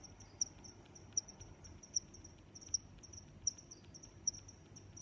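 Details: Cricket chirping: short bright high-pitched chirps repeated at a steady pace, roughly every three-quarters of a second, over a soft low background hum.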